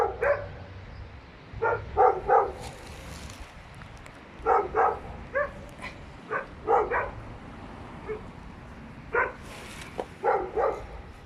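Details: Persistent barking from three dogs inside an apartment building, in irregular clusters of two or three quick barks separated by short gaps, with a faint hiss and low rumble in the background.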